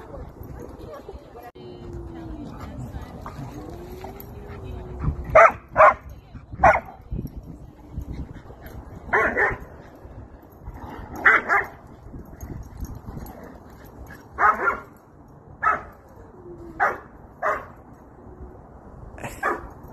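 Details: Happy German Shepherd meeting friends at a playground, giving loud, short barks, often in pairs or small clusters, about ten over twenty seconds, with people's voices and a soft whine in the background.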